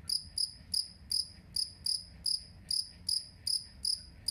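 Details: Two-spotted cricket (jangkrik kalung), recorded as a master sound for training songbirds: short, bright, high-pitched chirps repeated steadily about every third of a second, each a clean ringing pulse over a quiet background.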